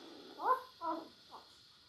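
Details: Five-day-old Labrador Retriever puppies from a litter of eight, five males and three females, in a whelping room: three short squeaky whines rising and falling, the first loudest, over a steady background hiss.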